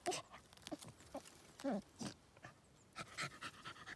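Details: Border Terrier Cooper digging at the roots of a large tree after a hiding animal; bursts of snuffling breaths and short huffs, with one brief whine near the middle.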